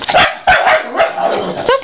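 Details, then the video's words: Worked-up dogs following a long playdate: shiba inus Tsuki and Kitsune and cairn terriers Eva and Murphy. Sharp, ringing yips burst out in quick succession, roughly every half second, with a short whiny note at the end. "Crazy Post Playdate Dogs!"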